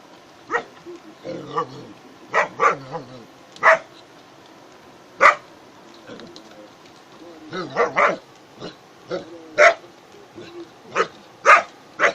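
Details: German Shepherd dog playing with friends, including a goat, giving scattered sharp barks at irregular intervals over about twelve seconds, mixed with voices and some lower bleating-like sounds.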